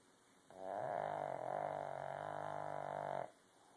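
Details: Buster the Pug sleeping and snoring, one sustained, loud, rumbling snore lasting almost three seconds with a buzzy, harmonic tone that wavers slightly, in a quiet room.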